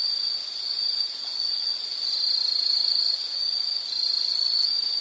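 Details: One unbroken high-pitched insect trill, shrill and even, with mild rises and falls in loudness. Nothing else is clearly heard.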